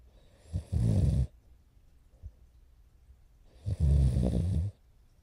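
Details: French Bulldog puppy named Morio, nearly four months old, asleep and snoring loudly on 29 November 2011; two deep, rumbling snores about three seconds apart, each roughly half a second to a second long, with quiet breathing between.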